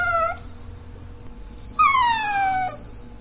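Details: The tail of one plaintive whine from a Dachshund, then a full, clear whine that slides steadily down in pitch for nearly a second; a soft electrical hum runs throughout.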